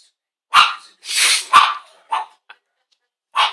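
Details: Pet Chihuahua barking at the TV while a Cesar Millan show plays: a run of shrill, clipped yaps with an uneven rhythm, some single and some doubled, with a brief pause before a final yap.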